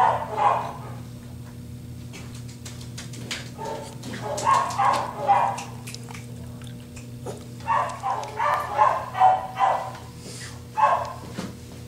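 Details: Shelter dog Gracie, a young cairn terrier and toy poodle cross, six months old and awaiting adoption, lets out clustered bursts of short, high yelping barks separated by quiet gaps, with a constant low hum underneath.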